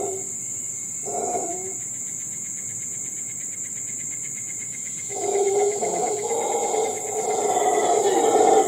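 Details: Howler monkey calling in Costa Rica's forest, an eerie howl. Two short hoarse bursts open, then a long gap. The roaring then swells into a continuous, rising, grinding howl. Constant shrill insect whine sits behind it.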